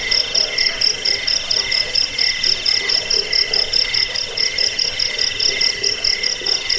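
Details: Cricket chirping offered as a rat repellent, sleep aid and song model for training cage birds; steady, shrill, layered high trills pulse in quick bursts, with a bright piercing band on top and lower buzzing tones beneath.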